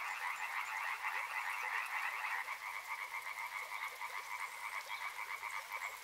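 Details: Frogs croaking along a river: a dense, busy chorus at first, then thinning to a clearer pulsed rhythm of repeated croaks about three times a second in two bands.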